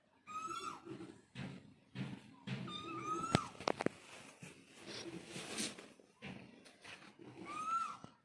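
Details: Domestic cat, a mother calling to her kittens, gives three clear arched meows: one at the start, one midway and one near the end, with sharp clicks and knocks between them indoors.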